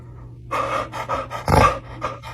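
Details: Dog in a compilation of funny pet moments, panting in quick breathy bursts, about five rhythmic puffs within two seconds, with one louder rasping breath in the middle.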